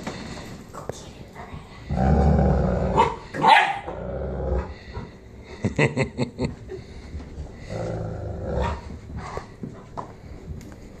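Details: Cane Corso named Hank playing tug-of-war with his new girlfriend Loretta, in Kansas City; low rumbling growls in bursts, rising to a louder snarl near the middle, with scuffling and a brief human voice.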